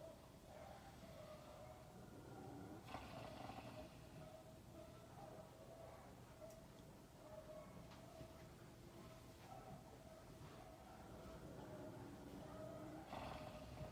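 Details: Sleeping horse Ken-chan snores in a rarely captured moment, giving deep raspy breath noises that swell at about 3 and 13 seconds, with a constant tonal hum running underneath.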